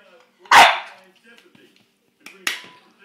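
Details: Cedric, a pet bulldog playing a little rough with his uncle, gives one loud sharp bark, then a second shorter bark about two seconds later, with faint speech in the background.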